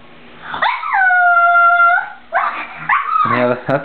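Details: Milo, a pet pug too frightened to cross a freshly cleaned, slippery bathroom floor to reach his toy, gives a long, steady, high whine lasting over a second, followed by a woman's voice urging him on indoors.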